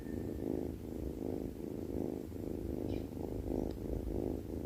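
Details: Sleeping domestic cat snoring: soft, rough, rhythmic breaths rising and falling about once every half second to second, low and steady with no other sounds.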